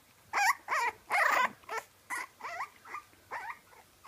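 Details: French Bulldog puppies crying in a rapid series of wavering whines, about ten bursts in four seconds, the first few loudest and later ones softer.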